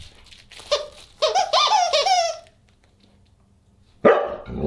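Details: At a December 27, 2022 dinner party, a Husky gives a brief yelp, then a run of wavering, descending talky calls lasting about a second, a pause of quiet, and a sharp final burst.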